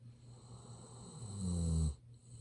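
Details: Golden Retriever Ibuki asleep, snoring loudly as a smartphone approaches; a single short, low, vibrating snore swells and cuts off abruptly after under a second.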